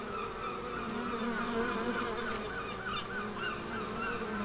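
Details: A constant, dense hum of bees in the Biblical Gardens, Elgin, Moray, Scotland. Several droning tones overlap with a slight wavering, and faint higher chirps sound in the background.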